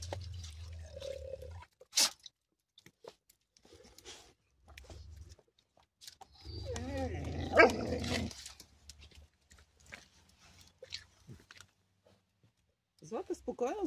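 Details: Three female Bulgarian Shepherd Dog pups greet their mother, who does not share their enthusiasm. A sharp brief yelp comes early, then a burst of wavering, whiny cries mid-clip, with a woman speaking soothingly.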